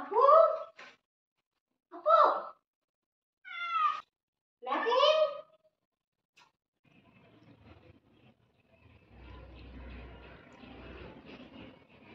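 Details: Domestic cat meowing indoors: four loud, drawn-out meows about every one and a half seconds, the third rising and wavering, followed by quiet rustling and low background noise.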